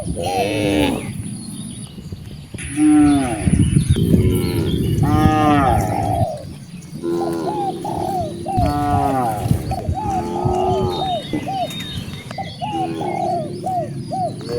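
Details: A herd of dozens of cows roaming freely outdoors moos in many overlapping low, drawn-out calls that rise and fall.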